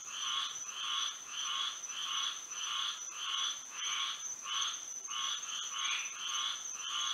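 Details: Florida frogs singing at night in moonlight, a fairly regular series of coarse, vibrating croaks, around one every second or less, with one voice answering another, over a steady high insect tone.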